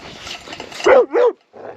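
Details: Ranch dogs being taken to and from the dog run: two loud, rising-then-falling barks in quick succession, a short pause, then a softer whine, with faint background rustling.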